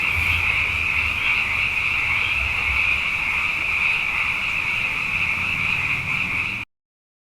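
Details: Frogs, numerous after two consecutive wet years, fill the night with a sustained chorus of overlapping high trills. The sound holds steady for most of the clip, then cuts abruptly to silence at the end.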